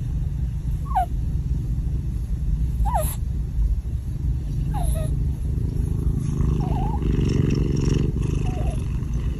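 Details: Cat sleeping together with a ferret, a steady low rumbling purr running throughout, broken by short falling squeaky chirps roughly every two seconds.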